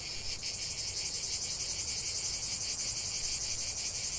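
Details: Cicadas chanting nonstop for relaxation, a sharp, sizzling high buzz beating in quick rhythmic pulses, swelling slightly at the start and then steady, with only a quiet low background murmur.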